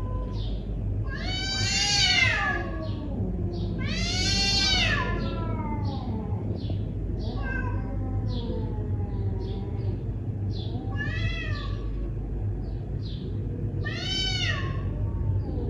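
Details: A neighbourhood cat confronting a rival caterwauls in long rising-then-falling wails about every two to three seconds. Between the wails come lower drawn-out moans, over repeated high chirps and a steady low background hum.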